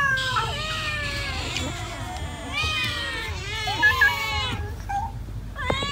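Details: Cats eating rice, with a chorus of overlapping meows and wavering cries, some short and downward-bending, mixed with what seems like human voices and a low hum underneath.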